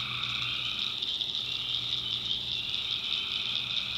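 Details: Tree frogs at night in North Carolina backwoods swampland: a brief stretch of intense, buzzing high-pitched chorus with a softer trill fading in and out below.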